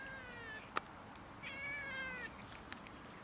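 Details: Cats and a kitten squabbling over food, giving one drawn-out wavering meow that slides gently downward over about a second, between two sharp clicking knocks.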